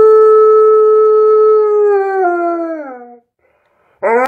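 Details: Singing to Jingle Bells, Tonka the Alaskan Malamute holds a steady howl that bends downward and fades into a brief silence, then a new howl bursts in abruptly.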